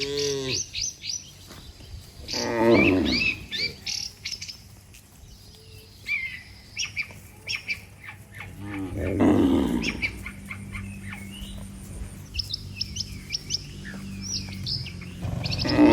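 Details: Mooing from a herd of dozens of cattle lined up on a road as they call one another to go home to the shed; rough, low moos at intervals, backed by busy bird chirps.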